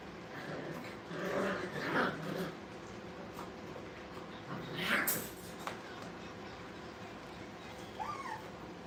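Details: Playing Brittany puppies at a kennel let out irregular high yips and whimpers, a burst of clustered yelps early on, another sharp yelp midway, and a thin rising whine near the end over steady background hum.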